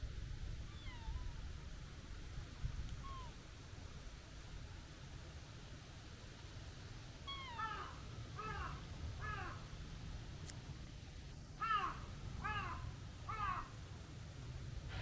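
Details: Plump outdoor tabby with a kitten-like voice meows softly and descending twice, then delivers two bursts of short, rapid arched calls, each about four notes half a second apart, over steady low outdoor background noise.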